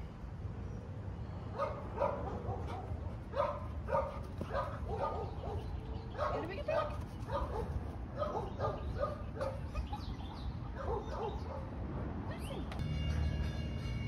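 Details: A Rottweiler at a no-kill shelter in Dallas, Texas gives a run of deep, gruff barks, with a person speaking nearby.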